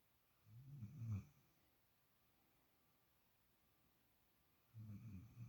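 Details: A sleeping female puppy, lying for the first time in another dog's usual spot, snores quietly: two low, rumbling drawn-out snores about four seconds apart with near silence between.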